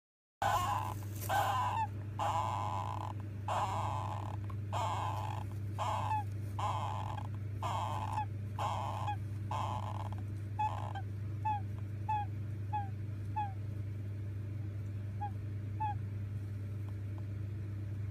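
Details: Eighteen-day-old golden hamster babies asleep, one snoring after seeming to cry: a steady series of short squeaky, nasal snores roughly once a second, growing thinner and softer toward the end, over a constant low electrical hum.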